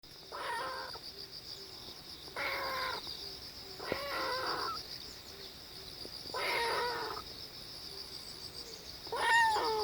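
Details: Kitten making strange sounds while pooping: five short, strained, harmonic mews spaced roughly two seconds apart, some wavering, over a steady high-pitched whine in the background.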